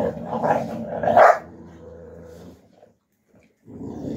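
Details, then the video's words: Young Alabai puppies, Fawn Alpha and Tiger, tussling in winter 2023; loud harsh snarls and a yelping bark peak early, then a low steady growl rumbles for about a second before a brief silence and renewed grumbling. "alabai dog160#alabai#puppies young in winter 2023 Fight Fawn Alpha vs Tiger"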